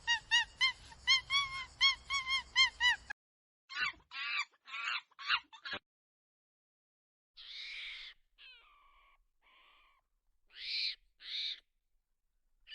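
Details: Baby monkey making squeaky calls: a fast run of about ten bright chirps, then separate shrill squeals and short cries spaced by silent gaps.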